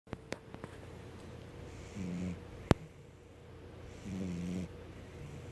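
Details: A sleeping cat snores indoors. Two soft, raspy breaths come about two seconds apart. There are a few sharp clicks near the start and a faint steady hum.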